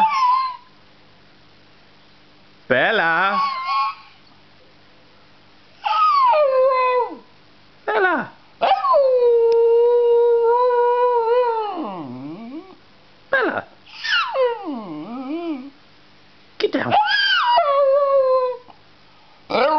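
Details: Staffordshire Bull Terrier crossed with Jack Russell "talking" in reply to its owner; drawn-out tonal howls that rise then fall and waver, several separated by short pauses, with a person calling and saying "down" before.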